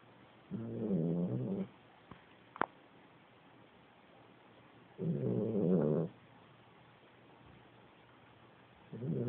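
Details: A 13-year-old Italian Greyhound, who snores more and more with age, snores in low, rumbling bursts about every four seconds.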